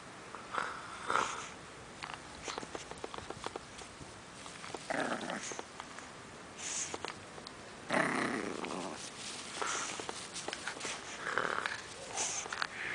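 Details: Pug puppy named Jenny tugging on a rope indoors, giving rough, noisy growling bursts in uneven spurts, the loudest around the eighth second, with scuffling in between.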